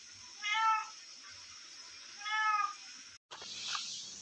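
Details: Domestic cat, described as having grown fat from eating, calling indoors: two clear, tonal, slightly rising-falling meows about two seconds apart over a steady high background hum, followed by a brief cut and noise.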